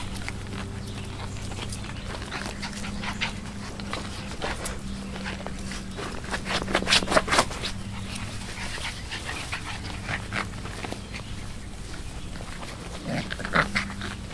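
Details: Six-week-old Chihuahua-Beagle mix rescue puppies: short broadband snuffling bursts and quick panting, loudest in a cluster near the middle and again near the end, over a steady low hum.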